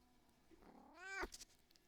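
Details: Pet domestic cat indoors, interrupting its owner at work: a single rising-then-falling meow of about half a second, a clear tonal cry with a short sharp ending, in a quiet room.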